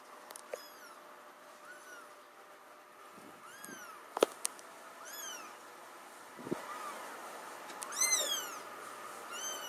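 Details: Mother cat with her kittens: several high, arching mews with bright overtones scattered through, some overlapping and clustering near the end, plus a few sharp clicks and taps over a quiet background.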